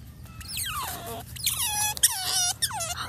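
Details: Wild otter squeaking: a run of high, sliding squeaks that start shrill and drop steeply in pitch, three or four in quick succession with short gaps, over faint low background rumble.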